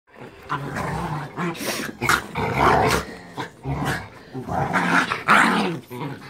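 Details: Chihuahua fighting with a pit bull: rough throaty growls and snarls in uneven bursts, with scuffling and a man talking over the fight.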